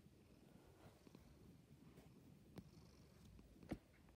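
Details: Domestic cat named Meerkat purring, a soft, steady low rumble held close throughout, broken by a few faint sharp clicks near the end.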